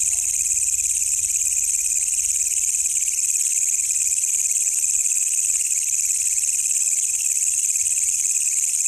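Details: At night in the wild, a walang kecek katydid gives an unbroken, intense shrill drone, very high and even, with a weaker lower buzzing layer and only faint background rustle.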